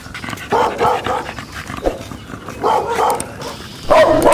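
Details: Domestic dogs of several breeds in a Thai neighbourhood greeting a newly arrived dog, giving a series of loud, mid-pitched barks in irregular bursts, with a person talking and music.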